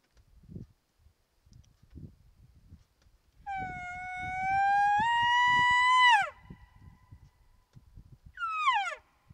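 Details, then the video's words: Bull elk bugling at night during the peak rut on a mountainside near a wallow: a long, whistled note that climbs slowly, breaks upward, then drops sharply, followed by a short falling squeal, with faint rustling and thumps. "Bugling with Big Bull Elk, Peak Rut!"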